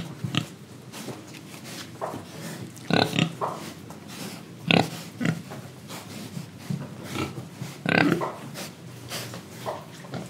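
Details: Indonesian pig oinking while it breathes and eats. Harsh broadband grunts rise out of a steady bed of chewing and snuffling noise, loudest near the third, fifth and eighth seconds.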